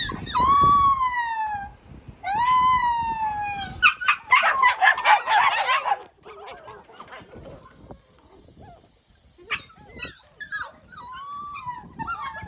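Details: A recording of husky puppies crying played from a smartphone: two long, wavering, tuneful howls, then a noisy burst and thin whines from 45-day-old Malinois puppies reacting aggressively.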